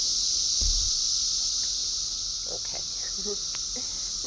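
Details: Outdoor cicada chorus on 6/4/24, loud enough to annoy the cats: an even, high-pitched droning buzz that never pauses, with a low thump and scattered soft voice sounds beneath it.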